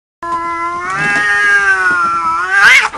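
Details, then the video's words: Cats fighting: one long drawn-out wailing yowl lasting nearly three seconds, steady and harmonic-rich, wavering slightly before rising sharply into a harsh screech at the end. "funny cats fight"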